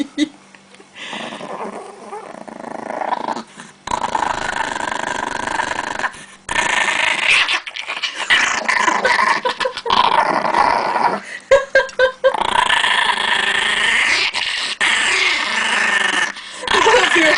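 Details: Aggressive pet Chihuahua guarding pancakes indoors, growling in rough, rasping bursts broken by short pauses, with a woman's coaxing voice and faint background music.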